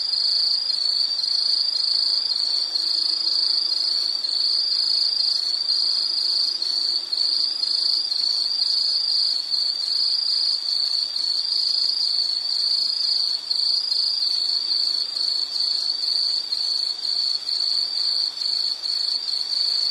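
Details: An insect gives a rapid, pulsing high trill that stays steady and unbroken. A soft low drone sits faintly beneath it.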